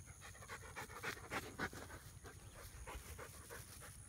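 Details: Rhodesian Ridgebacks at play alongside a Schnidge; quick, breathy panting close by, about three and a half breaths each second in an uneven rhythm.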